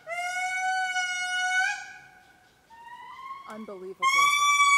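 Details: A male indri calls in Mitsinjo park, Madagascar, giving long, sustained wailing notes, steady then sliding upward, with clear ringing tones, as family members call offscreen.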